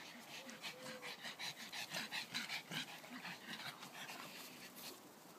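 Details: Leah, Sonny and Taffy, three dogs at play in a garden, pant quickly and steadily, about two and a half breaths per second, with a short whine near the start and faint speech behind.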